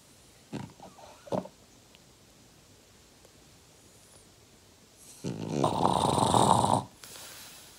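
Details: Five-year-old French Bulldog, eating or sleeping indoors: a few short snorting breaths early on, then one long, rough, broadband snore lasting over a second, with quiet room background between.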